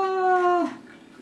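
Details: A Beagle howls at himself while watching a TV show he stars in, giving a brief, steady, tonal howl that dips slightly in pitch as it fades.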